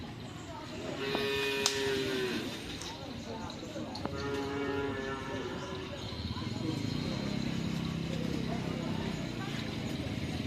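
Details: Madura cattle at a busy karapan sapi bull-racing practice on the Asemanis field in Pamekasan: two drawn-out, level moos amid a loud crowd, chatter and engine rumble.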